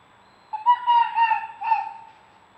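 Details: Red fox from a playful mating pair, filmed by trail camera on an acre of land behind a home in Hendersonville, North Carolina: a clear, tonal whining note of about one second, then a shorter second note, against a quiet background.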